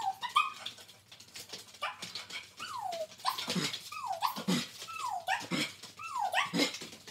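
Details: Two Border Collies, Jillie and Levi, performing tricks, giving a steady run of excited whining yips, each sweeping down in pitch, roughly one per second, with some lower, harsher barks mixed in.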